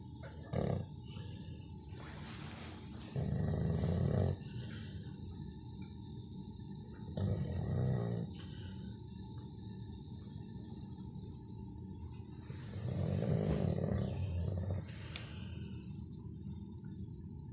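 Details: Labrador Retriever snoring, deep low rumbling breaths in long bursts roughly every four to five seconds, with quieter shorter breaths between and a faint steady background hum.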